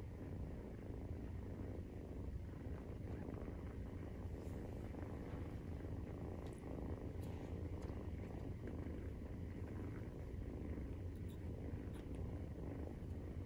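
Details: Nursing Maine Coon kitten aged 43 days, purring: a constant low rumble without pause, with light faint ticks scattered over the top.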